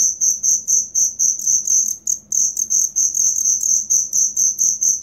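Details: Authentic cricket chirp meant as song material for songbird keepers: loud, piercing high pulses repeating about twice a second, slightly uneven, with a short gap around two seconds and a soft low murmur beneath.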